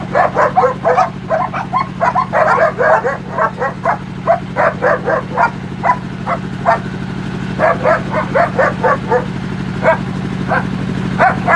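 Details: Several young Lhasa Apso puppies yapping together; short, high, sharp yips tumbling out in rapid bursts throughout, with a brief lull in the middle, over a steady low mechanical hum.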